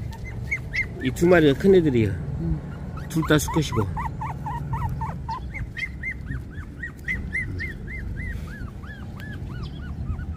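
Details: Puppies 24 days old whimpering: after a burst of human speech, a long series of short, high, arched whines repeats steadily, several per second, thin and plaintive over a quiet indoor background.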